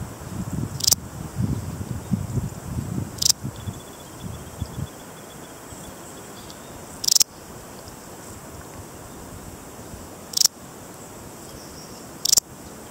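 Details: Balearic saddle bush-cricket (Parasteropleurus balearicus), endemic to Menorca and Mallorca, producing short, crisp, high-pitched chirps every two to three seconds while low rustling and wind noise fill the opening seconds.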